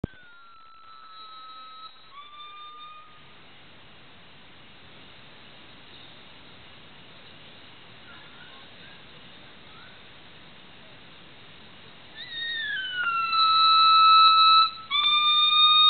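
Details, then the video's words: Black male gibbon vocalizing alone, part of an excited calling bout: pure whistled notes open the clip, then quiet, then loud sustained high tones with slides return near the end. "Gibbon sirens"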